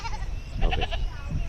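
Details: A goat being caught gives a short, wavering, pulsed bleat lasting under half a second, set against rumbling handling noise and low background sounds.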